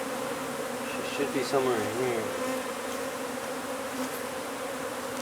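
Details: Dense, even humming of a honey bee hive during removal from beneath a wood pile at a property in McAllen, Texas, with a faint human voice briefly over the drone.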